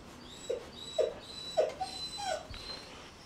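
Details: Puppies whimpering: five short, nasal, mid-pitched whines spaced roughly half a second apart, each slightly falling, over a soft background hiss.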